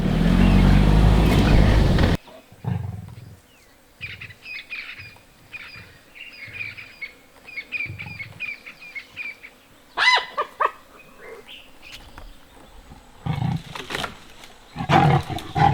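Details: At Londolozi Game Reserve in summer, probably two fighting leopards, one in a tree beside a kill with a hyena nearby in a thick, deep drainage line, give a burst of deep, rasping snarls, then scattered birdsong. Finding: Leopard.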